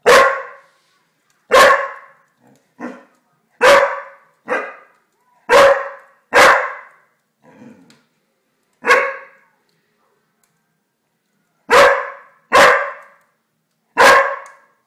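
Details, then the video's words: English springer spaniel named Pixel barks at a fireplace, giving about a dozen sharp, bright barks in irregular bursts of one to three, with one quiet low grumble between them and silent gaps. "pixel the english springer spaniel dog, barks on a fireplace"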